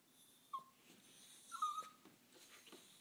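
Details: Miko, a dog, whines at a squirrel that keeps returning to eat the strawberries. A few thin, steady, high whines, each under half a second, break an otherwise quiet background.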